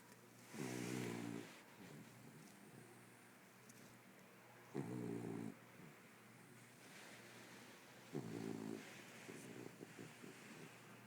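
A Corgi snores while asleep, each breath a low, harsh rumble lasting under a second. The snores come back at a slow, steady pace, with quieter breathing between them.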